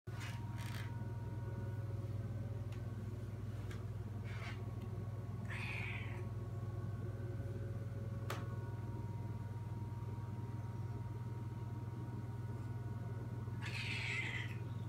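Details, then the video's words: A cat gives two harsh, drawn-out meows, about eight seconds apart, over a steady low droning hum that runs throughout. "what a terrible meow"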